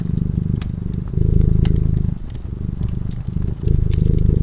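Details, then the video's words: Cat purring while asleep in front of a crackling fireplace: a deep, even rumble that swells and softens in alternating breaths about every second, with sharp pops and crackles of the fire over it. "Purring cat"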